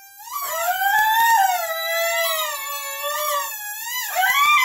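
A dog howls in long, wavering, tuneful notes that swoop up and down like singing.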